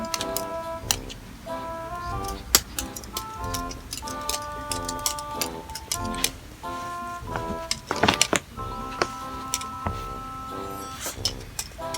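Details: Indoor recording of plinking music with sustained tonal notes and sharp ticking, clicking percussion. The beats repeat through the twelve seconds, and a louder cluster of clicks comes near the eighth second. No animal voice is heard.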